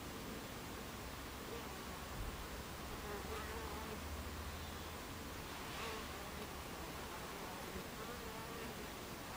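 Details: A continuous hum of Buckfast bees at their hive entrance, recorded 26 July 2013, 14:30. The broad, even buzz has a deeper steady drone in the first half and brief tones of passing bees.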